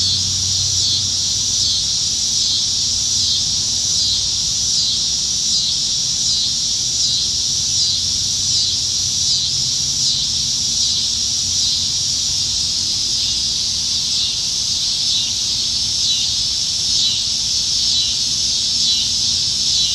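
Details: Summertime evening in Nebraska, July 2019, with plentiful cicadas in the trees; an unbroken high-pitched droning chorus that pulses softly and regularly, with a quiet low hum of distant background noise throughout.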